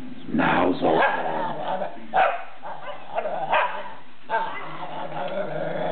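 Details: Whippet named Archie vocalising 'yabull yabull' while taunting another dog, Leo; a series of loud, harmonic, talk-like yowling bursts, about five in six seconds, each swooping up and down in pitch.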